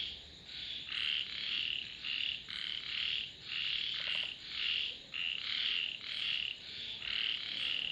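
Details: Frogs calling in chorus, their rasping croak bursts repeated in an uneven rhythm with short gaps between them, plus a brief soft ticking sound in the middle of the sequence.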